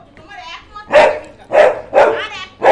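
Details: Labrador Retriever barking: four loud, harsh barks spaced about half a second apart after a brief murmur of a human voice at the start.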